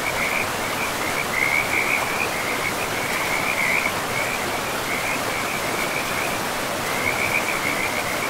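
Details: Frog chorus beside a forest river: bright, high, rattling trills come in bursts, pause briefly, then resume, all carried over a loud, even hiss of running water.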